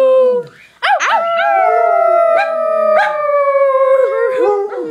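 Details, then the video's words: Two pet dogs, a small black Yorkie-poodle and a Basset Hound, howling together: long sustained wavering howls that slowly fall in pitch, voices overlapping, with short rising yelps breaking in between. "Let make 'em dogs howl!"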